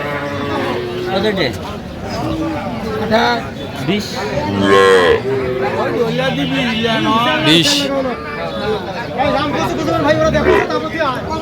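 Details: At a Faridpur cattle market in Bangladesh, young Sahiwal heifers and bulls moo in short, wavering bursts between the chatter of buyers and sellers, with a crowd murmuring in the background.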